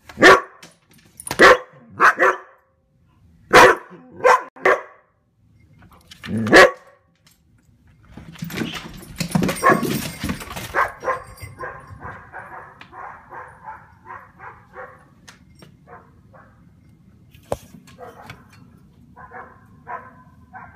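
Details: Two standard poodles chase deer. For about seven seconds they give loud, separated barks at irregular intervals, then the barking fades into a rustling, scuffling commotion and faint, rapid, distant-sounding yaps over a low rumble.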